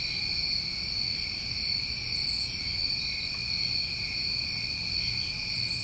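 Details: Crickets recorded in New England in summertime: a steady, continuous trilling chorus of several high-pitched layers, joined by short, very high buzzy bursts about every three seconds and a faint low rumble beneath.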